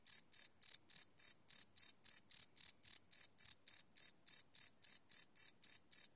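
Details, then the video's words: Crickets at night, live field recording on a Sony PCM D100: piercing, high-pitched chirps repeat in a brisk, unbroken rhythm of roughly 220 per minute over quiet darkness. "Cricket Chirp Sound - Cricket Sounds at Night"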